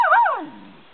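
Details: Mocha, a normally skittish female puggle living near a house, nervous and unsettled by the camera, gives a brief whining yelp that wavers then slides downward in pitch and fades within about a second.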